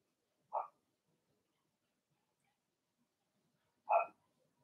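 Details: Young Blenheim Cavalier King Charles Spaniel in an indoor puppy pen, one of a six-pup litter born in March: two isolated short, bright yaps a few seconds apart against near silence.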